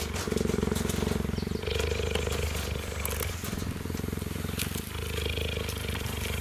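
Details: A cheetah, 8 months or 2 years old, leans against a fence so meerkats can groom him and purrs in a steady, deep, motor-like rumble that pulses rapidly without a break.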